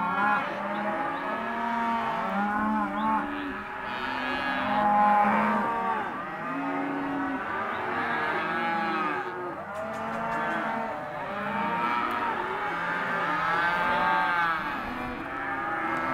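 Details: Herd of non-pregnant Hereford and Careta cows offered as a sale lot, many animals lowing at once in overlapping, drawn-out moos, some rising then falling, calls layered continuously with no pause.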